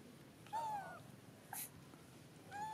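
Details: Hungry baby macaque Dito asks for milk while its mother Daisy ignores it. Two clear whistled cries glide slightly downward in pitch, one early and one at the end, with a brief sharp click between them.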